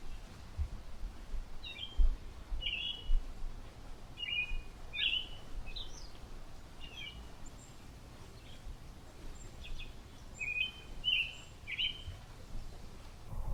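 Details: Chipmunks in a family reacting with confusion to a humming airplane; scattered short chirps, a busy run in the first seven seconds, a quiet stretch, then a few more, all over persistent low droning noise.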